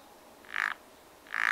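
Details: Spring pond frogs giving two short, harsh croaks a little under a second apart against a quiet background hiss.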